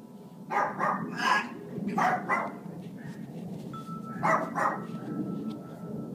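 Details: Family dog barking indoors while a six-year-old African grey parrot tries to get it to stop; short hoarse barks come in pairs and triplets, with a steady whistle-like tone and room noise between them.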